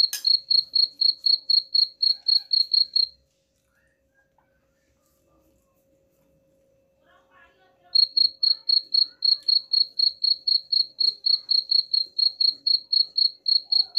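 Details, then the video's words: Cricket chirping, offered as a sound to drive rats away: high, pulsed chirps repeating about four times a second for three seconds, then about five seconds of silence before the steady chirping resumes. "suara jangkrik pengusir tikus ampuh"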